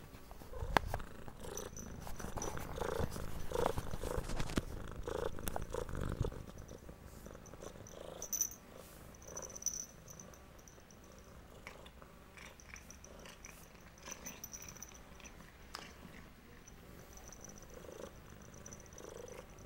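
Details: Cat purring while receiving medicine: dense low rumbling pulses fill the first six seconds, then fade to a quieter, slower purr with scattered soft clicks and a thin high tone throughout.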